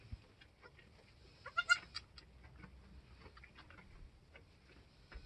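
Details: Goat on a homestead, just after the doe Queen gave birth to a doeling and a buckling, kids only an hour or two old; a single brief, harmonic bleat near the middle over quiet rustling background.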